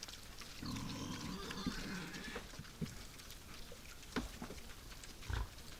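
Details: Wild boar at night at a forest feeder: one long, low, rumbling grunt lasting over a second and a half, followed by scattered clicks and rustling as the animals feed.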